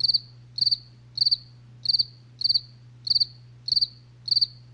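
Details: Cricket chirps at night, quick pulsed bursts high in pitch, evenly repeated about every 0.65 seconds, with a steady low hum in the background.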